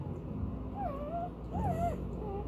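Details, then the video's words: Newborn puppies during a live birth of a litter of ten, giving soft little squeals and groans described as normal, healthy noises; thin wavering whines sliding up and down, two main cries over low background hum. "is these soft little squeals and alligator groans. That's exactly what you want to hear."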